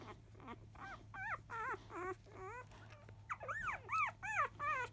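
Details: Five-day-old field-line Labrador Retriever puppies, born to 2017 JFA Grand Champion biscuit, fussing loudly as they begin nursing just after 1 pm: a rapid series of high, rising-and-falling squeaky whimpers and yelps, about two or three per second, over a steady low hum.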